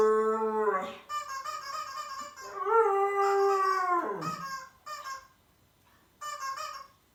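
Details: Siberian Husky, a young dog indoors, howling in reaction to an annoying sound: long wavering howls that rise and then slide down, followed by shorter higher yowls with pauses between.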